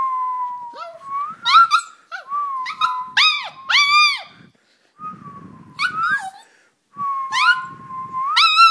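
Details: A toy poodle kept at home sings in response to a whistle: a series of rising, wavering howls and yelps, some steady tones then sharp upward sweeps, broken by short pauses, with a faint steady whistle-like tone at times.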